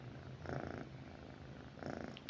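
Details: Pet cat lying with its owner at night, purring in a low rumble that swells in two pulsing bursts, one early and one late, between softer steady purring in a quiet room.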